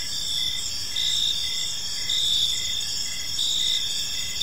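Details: Crickets in an evening park give a continuous high trilling chorus, pulsed chirps overlapping and throbbing roughly every second, backed by faint low-frequency background noise.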